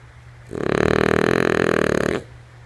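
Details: Lulu, a female French Bulldog, snores while asleep indoors: a single long, rattling, raspy snore of under two seconds, made of rapid fluttering pulses, over a steady low hum.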